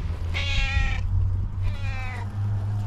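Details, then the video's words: Female tailless tuxedo cat greeting her person the moment she sees her: two loud, bright meows about a second apart, the second slightly fainter and falling, with a constant low hum underneath. "Tailless tuxedo cat starts meowing loudly as soon as she sees me"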